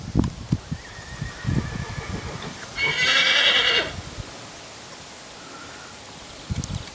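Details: Purebred Lusitano broodmare at a stud farm: one brief, bright, harmonic whinny of about one second near the middle, after scattered low thumps and before quiet background; more thumps at the end.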